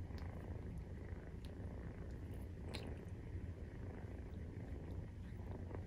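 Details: Purring Maine Coon cat while nursing, kittens 43 days old: a deep, rapid vibrating rumble, steady for the whole stretch, broken only by a couple of faint tapping sounds.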